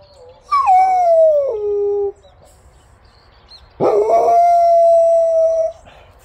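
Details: A fawn Jindo named Samyong gives two howls. The first drops from a high start to a lower held note. After a short gap, the second holds one long, fairly level tone for nearly two seconds.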